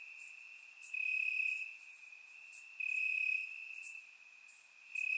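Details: Bulgarian night chorus of crickets in summer grass, recorded in surround: a continuous shrill tone swelling into loud stretches lasting about a second, with scattered high clicks and bright bursts above it.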